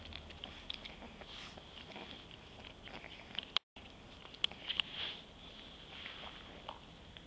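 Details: A white French Bulldog puppy eating her favourite treat, chewing noisily with piggy noises, scattered crunchy clicks and smacks.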